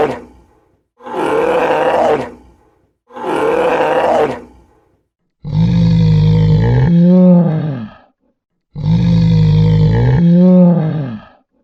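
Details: Brown bear (Ursus arctos) giving deep, drawn-out roars and growling groans repeated every few seconds, vocalising to show anxiety or anger.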